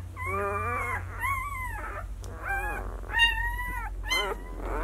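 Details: Six-day-old White Swiss Shepherd puppies (Sienna / Valentino 2019) cry in drawn-out, wavering whimpers that arch up and down, about five calls in under five seconds, with a constant low background hum.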